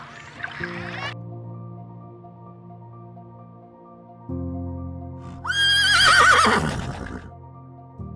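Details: A horse gives one loud, shrill whinny that falls in pitch and trembles for about a second and a half. Steady, soft background music plays throughout.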